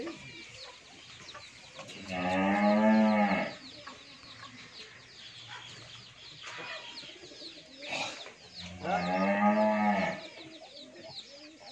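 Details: Two loud, harmonic moos roughly seven seconds apart come from a 14-month-old pure Holstein Friesian heifer at a dairy farm in Bhangura, Pabna, Bangladesh, with quieter voices and farm noise in between.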